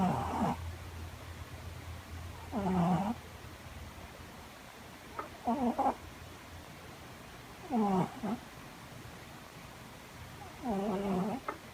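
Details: Loud snoring from a pet cat, rasping harmonic bursts spaced unevenly, roughly every two to three seconds, some doubled, over a faint low rumble in the room.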